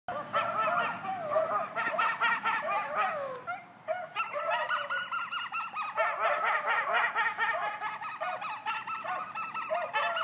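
Coyotes yip and howl together in a chaotic chorus of high, wavering, overlapping cries.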